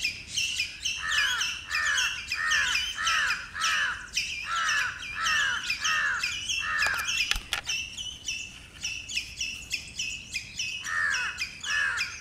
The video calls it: Squirrel territorial calls